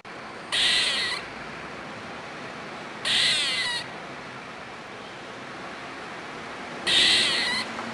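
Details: Squirrel calling in three short, harsh, noisy bursts, each about half a second long and spaced unevenly a few seconds apart, with faint background hiss between calls.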